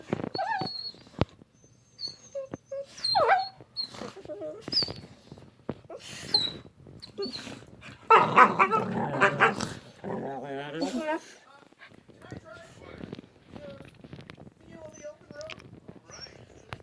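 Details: Two pet dogs making funny noises while playing together: scattered whines and yips, then a loud rough growling and grumbling burst midway with wavering moans, followed by softer whimpers and clicks.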